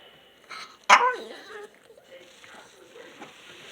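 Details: Female pet dog indoors, asking to sit on her owner's lap while wagging her tail and tapping a shoulder: one sharp, loud whine that slides downward, followed by softer, brief whimpering noises and quiet room sounds.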